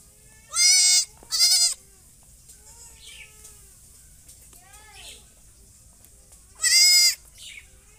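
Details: Goat bleating: two loud, harsh, quavering bleats close together in the first two seconds, fainter distant bleats in the middle, then another strong wavering bleat near the end; quiet background otherwise.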